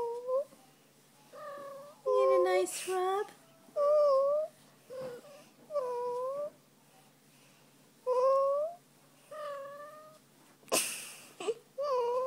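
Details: Fuzzy the kitty, a female pet cat getting her belly rubbed indoors, utters a run of brief tonal mews, some upswept and some arching, roughly one per second, with a few sharp handling noises in between.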